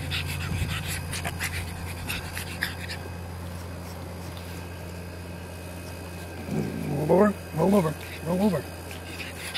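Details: Elmo, a pug puppy on a farm who kept biting fingers, gives three short rising whining yelps in quick succession near the end, after a man's voice and low background hum.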